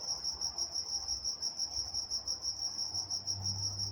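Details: Crickets at night in Walnut, California, chirping in a steady high-pitched pulsing trill, about three pulses a second, with a faint low rumble underneath.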